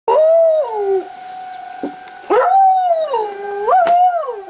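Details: Lazarus, a pet dog, howls along with the monthly tornado sirens on July 1, 2009: long wavering howls that dip and rise in pitch, over the steady drone of the siren tone.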